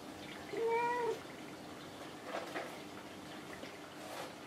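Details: Kinako, a pet cat that answers whenever spoken to, replying as her owner calls out cat names indoors: one clear, drawn-out meow of about half a second, steady then falling, followed by soft rustling and taps.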